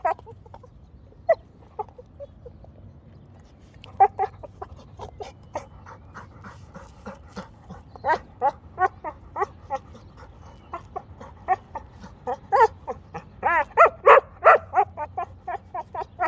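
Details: A female Rottweiler makes rapid, repeated whining yips and grumbles at her rock, rising into louder excited bursts.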